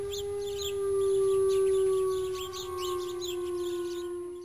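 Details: A single sustained, fairly low howl holds an even pitch, swelling and then easing off over four seconds. A faint second tone sits above it, and steady fast chirping persists in the background.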